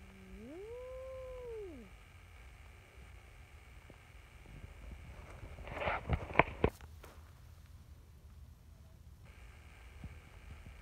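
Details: A brown tabby community cat named Nyahha, chatty and seeking affection at a cat gathering, gives one clear arched meow that rises then falls, followed by quiet background hum and a few sharp knocks.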